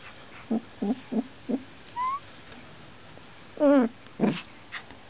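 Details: Two-week-old Alaskan Malamute puppies, born in Finland in a litter of one female and three males, give short squeaky whimpers, a thin rising whine and a wavering cry.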